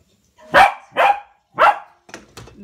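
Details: A Corgi puppy barking while playing with a ball at home: three sharp, loud barks about half a second apart, followed by two fainter, shorter yips.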